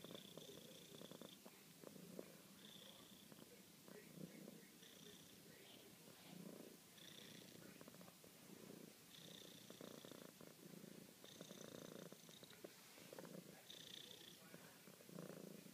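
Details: Female pet cat purring while showing affection to her owner, a soft continuous rumble rising and falling with each breath, with a quiet voice murmuring nearby.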